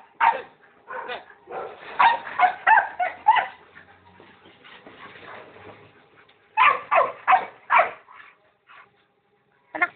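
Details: Pit bulls kept as pets give bursts of quick, rough barks, then a quieter stretch of softer muffled sounds, and another run of loud barks near the end.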